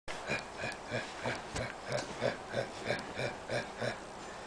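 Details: Seven-week-old golden retriever puppy named Flotsam playing tug, giving rough, breathy growling grunts in a steady pulse of about three per second, each a short throaty burst, in a small indoor room.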